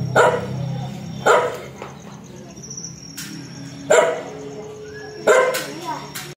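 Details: Aggressive dog barking in irregular bursts, four loud rough barks with longer gaps between them, over a low background hum with faint other sounds.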